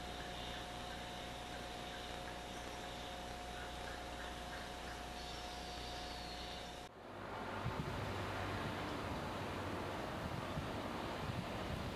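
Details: Steady low traffic-like rumble with a hum, then a sudden shift to broadband noise; no clear animal calls.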